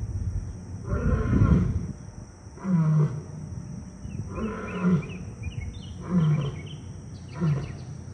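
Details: Simba, a 16-year-old male African lion at a zoo, gives a series of deep, booming roars in rhythmic bursts.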